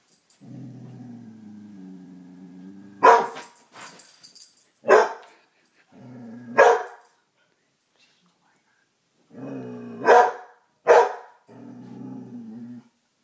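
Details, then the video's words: Coonhound Dixie barks at the dog she sees in a mirror: low sustained growls broken by five or six loud, sharp single barks spaced one to two seconds apart, growling resuming between them. "Dixie the coonhound: Barking at the mirror"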